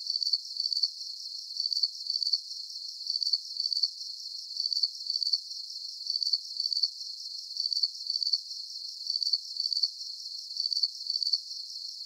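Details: Steady cricket chirping: short, high, trilled bursts recurring at an even pace of roughly two per second, with no other sounds.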